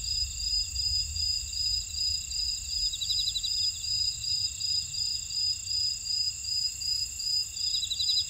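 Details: Insects calling in a buckwheat field at Ora-dong, Jeju City, on the volcanic island of Jeju, South Korea: several high continuous shrill trills layered together, one pulsing in a steady beat about every half second, plus low rumbling wind or background noise.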